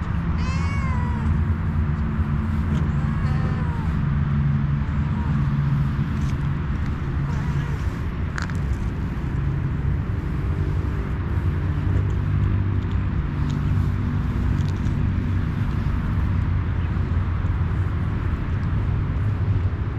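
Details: Homeless cat that wants a head massage lets out a clear meow at the start, then a fainter one around three seconds, followed by long stretches of low rumbling noise with occasional clicks.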